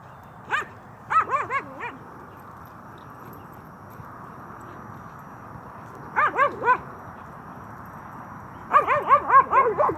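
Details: Nine-month-old Cane Corso playing with another dog: three short clusters of high, arched, harmonic yelps, two to five quick notes each, separated by quiet gaps, with faint background hiss.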